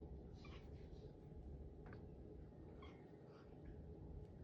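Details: Pet cat making an unfamiliar sound, a few soft, strained meow-like cries near the start and again around three seconds, set against a steady low indoor hum.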